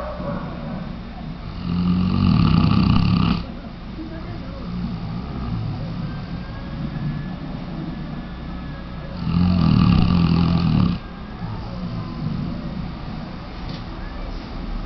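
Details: Weimaraner named Tchesco snoring: two long, low rasping snores a few seconds apart, each lasting about two seconds, with a steady low background hum between them.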